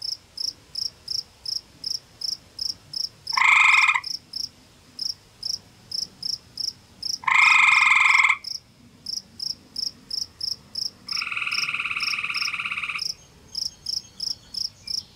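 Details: Male gray tree frog at a forest pond in Ontario, Canada, trading calls with a rival male over territory: two loud ringing trills, then a longer, softer trill lasting about two seconds, with constant high ticking pulses behind.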